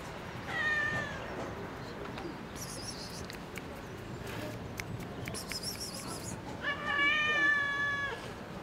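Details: Cat living in a park begs for food, meowing up at a balcony; two long harmonic meows open and close the passage, the last one loud and wavering, while small birds twitter in between over city background.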